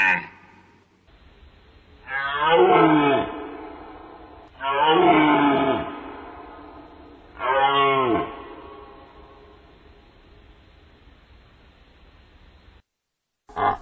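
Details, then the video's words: Deer giving three drawn-out, harmonic, slightly wavering calls, each lasting about a second and spaced roughly two and a half seconds apart, with a short burst of noise at the very end. "Deer sounds Deer sound effect"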